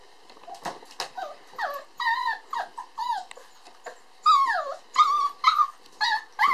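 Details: Red boy puppy born on 22 December, letting out a string of piercing whines and yelps, pitch swooping high then dropping, growing louder and more insistent toward the end.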